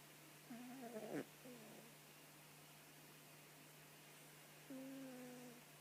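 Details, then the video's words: Sleeping cat snores in nasal whistles: a wavering tone with a click near the first second, a short follow-on note, then a longer level whistle near the end, with low hum beneath. "Котик храпит"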